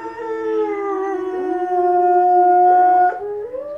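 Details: A female Presa Canario gives a long, wavering howl sliding up and down in pitch, answering wolves howling on TV; said to sound like a seal.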